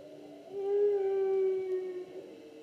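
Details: Humpback whale song unit recorded in the 2016 season: one sustained, level, mid-pitched moan lasting over a second with faint harmonics, swelling and fading smoothly.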